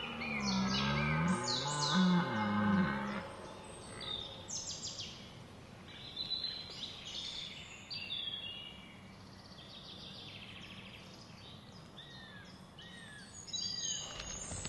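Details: Red deer during the rut, 19 September 2010, Hoge Veluwe National Park, Netherlands: a deep, harmonic roar that swells and falls over about three seconds, then gives way to several birds chirping and whistling against steady outdoor background noise.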